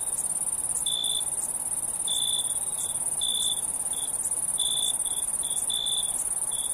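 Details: Crickets chirping at night: a steady high shrill trill beneath a busier run of lower chirps, short and long ones mixed, coming faster toward the end.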